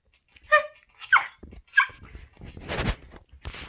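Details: A male chiweenie, a pet dog, being vocal about his feelings as his owner talks with him: three short, high, harmonic yelping whines about half a second apart, then a burst of broadband rustling noise.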